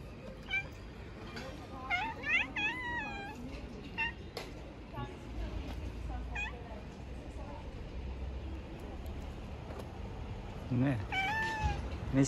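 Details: Street cats being given food call with several short, high meows with bending harmonics, some rising then falling, scattered through the stretch over low outdoor rumble and a person talking softly.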